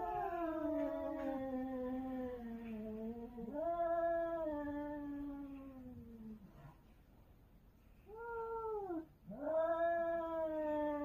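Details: Cats wailing loudly during a territorial fight: long, moaning yowls that rise and then slowly fall, broken by short pauses, with a brief bent cry before a final rising howl.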